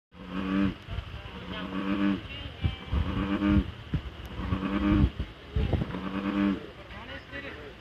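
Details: An American bullfrog gives deep, droning, engine-like croaks in a steady series of short bursts.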